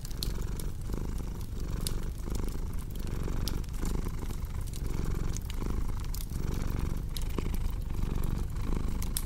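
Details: Purring cat paired with a crackling fireplace for deep sleep and relaxing: a deep rumbling purr that swells and dips roughly every 0.7 seconds, steady throughout, with bright irregular snaps of burning wood.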